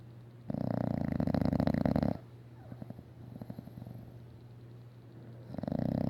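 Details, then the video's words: A female English Bulldog snoring loudly, a long rattling, throbbing inhalation lasting about a second and a half, a quieter fluttering pause, then the next loud rattling breath beginning. "English Bulldog Snoring"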